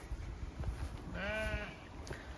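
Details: Zwartbles ewe on a regenerative farm in County Kilkenny, Ireland, chatty in the field as it is checked before a move, gives one wavering harmonic bleat near the middle, over low rustling and wind.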